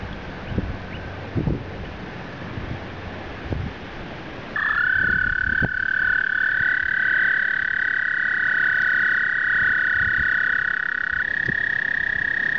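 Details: Spring breeding chorus of American toads during migration: after soft rustling and thumps, a loud, sustained, musical trill begins abruptly, joined by a second toad trilling at a nearby pitch, the two overlapping for several seconds.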